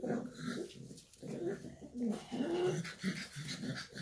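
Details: Low throaty growling from a Shar Pei mother with her pups, short rumbling bursts with small wavering whines in between, in a small indoor room.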